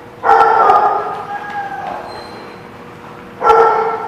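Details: Dog recorded on 29 August 2016. A loud, drawn-out harmonic cry lasts about one and a half seconds and fades. After a short quiet gap, a second, similar loud cry begins near the end.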